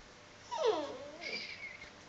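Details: Samoyed puppy playing with a toy pig and ball indoors at 5 a.m. after a 30-minute walk, recorded on a phone: a short, high, wavering whine falling then rising, followed by a thin squeak.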